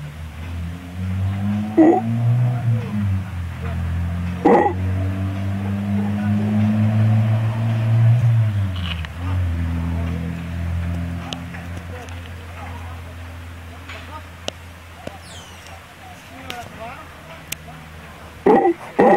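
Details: Howler monkeys in the trees above a swimming pool and tennis court at Playaverde, Costa Rica, answering a person who imitates them: deep, droning roars that rise and fall in long waves, with occasional sharp clicks and knocks.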